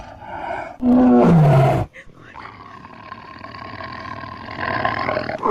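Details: Tiger in Kanha National Park during an attack, giving one loud, harsh roar about a second long that slides downward in pitch, followed by quieter rustling and background noise.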